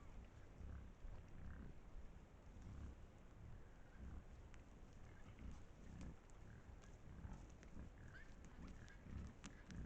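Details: Wild boars in a pack, recorded by a trail camera in Estonia, giving a steady run of low, muffled grunts roughly twice a second over constant low rumbling background noise.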